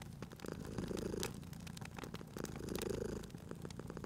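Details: Sleeping cat purring near a fireplace in cozy spring ambience, two gentle rumbling pulses of breath-paced purr, with loud sharp crackling and snapping from the fire between them.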